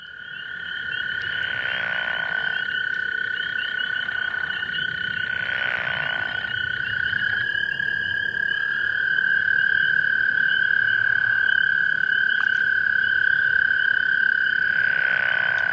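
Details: A pickerel frog (Rana palustris) gives brief, grating, snore-like croaks of about a second each, every few seconds, over a constant high, even trilling drone from other callers.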